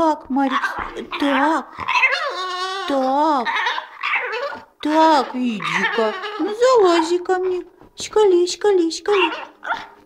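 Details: Three-month-old French bulldog puppy, described as talking, vocalizing indoors; continuous wavering, warbling whines and moans with rising and falling pitch, nearly unbroken through the clip, with a few sharper yelps near the end.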